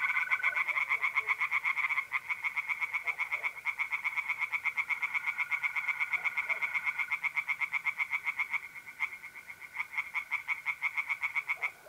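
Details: Tree frogs singing in a pond on a mid-April night in North-East Italy: a dense run of rapid, evenly spaced raspy pulses from several callers overlapping, with the steady high trill of mole crickets running beneath throughout.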